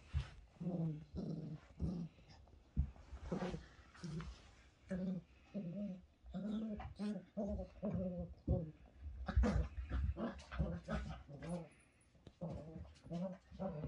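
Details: Cocker spaniel making a long run of low, moaning grumbles and whines in short repeated pulses, some rising slightly in pitch, with brief soft clicks and rustles between them.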